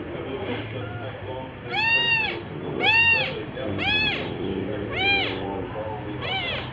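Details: Household cat filmed for orange cat Jay's second birthday, 19 March 2023, uttering five loud arched meows roughly once per second, each bright and harmonic, against soft background hum and faint low tones.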